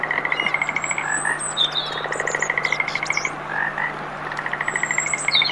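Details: Frogs chorus in a dense run of rapid pulsed croaks, trills of ticking notes following one another, while high bird whistles and chirps sound in the background over a low steady hum.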